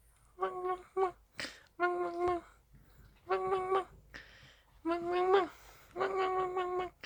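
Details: Indoor Dachshund wanting to play, whimpering in four or five drawn-out, slightly rough whines that rise and wobble, separated by short breathy gaps and faint room noise.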